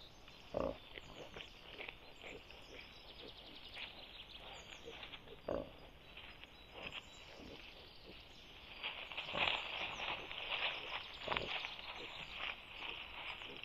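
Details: Wild boar sow with striped piglets, reacting to a threatening situation. Short, rough, broadband grunts come singly every few seconds, then cluster toward the end, over a constant high insect-like hiss with faint bird chirps.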